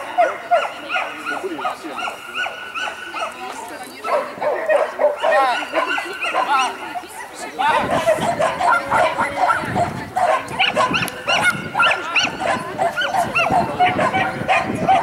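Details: At a dog championship in St Petersburg, 12 April 2015, with mixed-breed Jessie and sheltie Lesya entered: a steady run of high, quick barks, thickening midway as crowd chatter and background noise rise.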